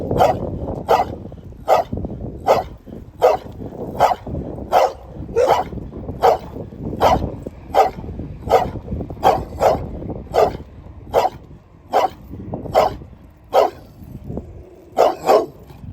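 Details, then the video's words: Dog barking steadily, sharp broadband barks repeated roughly every 0.8 seconds, about nineteen in sixteen seconds, with a double bark near the end over low background rumble. "개짖는 소리"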